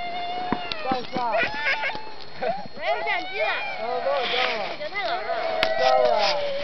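A pack of sled dogs howls together in wavering, overlapping rising and falling wails.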